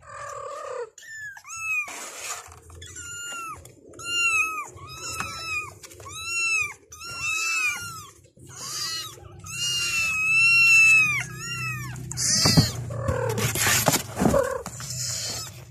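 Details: A kitten chorus calling for their mother: a long run of shrill arched meows about one per second, growing denser and overlapping, ending in rustling and bumping noises.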